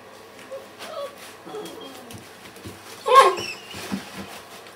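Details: Thirty-day-old Weimaraner puppies of the Kiss and Quest litter, indoors, 6 December 2012: short high squeaky whimpers with gliding tones, then one louder yelp midway, softer squeals after, a faint human voice underneath.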